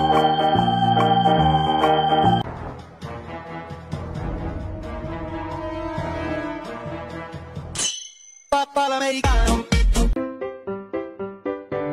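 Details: Sustained organ music gives way after a short gap to a run of bright, plucked electronic notes, with no animal voice.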